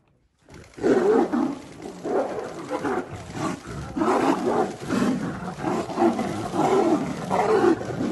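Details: Tiger; roar; fighting over territory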